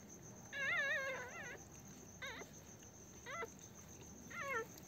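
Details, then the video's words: Newborn Pomeranian puppies on their first day after a home delivery: four wavering, high-pitched whimpering cries, the first long and quavering, the rest shorter and rising-falling, spaced about a second apart over a faint steady hiss. "pomerian puppies first day"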